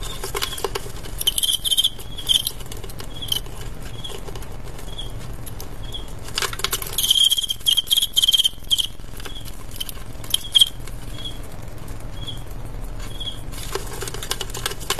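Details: Fighting male crickets in an adu jangkrik bout give short high chirps repeated roughly every second in loose runs, over constant scraping and rustling patter with gaps of quieter shuffling.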